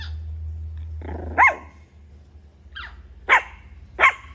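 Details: Tiny puppy giving short, high-pitched yapping barks: four sharp yips spread over about four seconds, each a quick rising-falling squeal, over a low steady hum.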